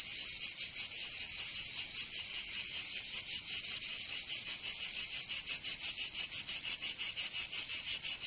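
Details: Summer cicada chorus in Provence, southern France, with a loud rasping buzz broken into quick regular pulses, roughly three per second, continuous and unchanging; nothing else audible.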